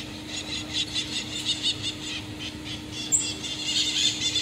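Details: Common marmosets on the streets of Rio de Janeiro, Brazil: a run of shrill, high squeaky notes repeated in quick pulses, growing busier toward the end, over a steady low electrical hum.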